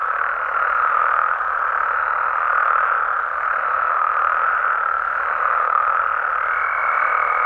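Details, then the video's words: A Mexican nighttime frog and toad chorus: continuous massed croaking with no gaps, and a faint steady high tone entering near the end. "Mexican Frogs & Toads Sounds"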